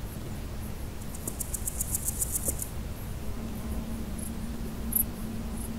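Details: Chrysochraon dispar, the large gold grasshopper, a male stridulating: one rapid series of roughly nine high, dry pulses over about a second, then a few isolated ticks, set against a constant low electrical hum.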